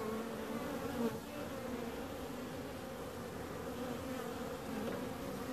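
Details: Steady droning hum of bees, an even layered buzz that barely changes across the few seconds, with a brief louder swell near the start.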